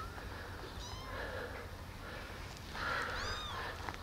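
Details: Tiny rescued kittens, found abandoned on the street and now housed in a warm basement, give short high-pitched mews while taking a walk and drinking milk from a syringe. Two bursts of cries separated by quiet rustling.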